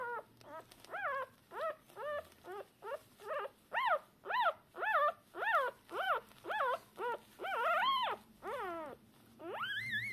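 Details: Shiba Inu puppies a few hours after birth, deaf and blind yet seeking their mother, calling from the first moments. Loud, arched squeals repeat rhythmically, ending in two longer, drawn-out wails.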